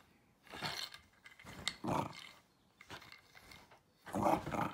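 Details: Shiba Inu dog objecting to a disliked backscratcher with scattered rough growling grumbles in short bursts and gaps of quiet, followed by a louder final outburst.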